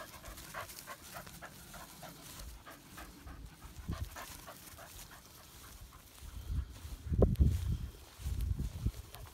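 An English Springer Spaniel pants in quick, rhythmic breaths, followed by low snuffling and rustling.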